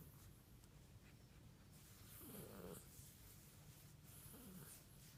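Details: An Italian Greyhound "purring like a cat": a low, continuous cat-like rumble, broken by two short descending whiny grumbles.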